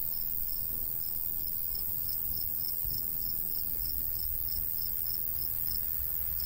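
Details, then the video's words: Summertime cricket chirping in a countryside wheat field: evenly spaced, high, ticking pulses run throughout beneath a constant soft wind hiss and low rumble. "Countryside/cricket sounds"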